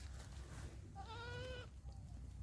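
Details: Newborn Black Bengal goat kid giving one short, clear bleat of about half a second, nasal and slightly wavering, then fading, over a steady low hum.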